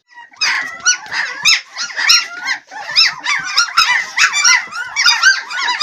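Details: A litter of twelve Swedish Elkhound (Jämthund) puppies squeaking and yelping all at once, a dense stream of short, high, bent squeals overlapping rapidly throughout.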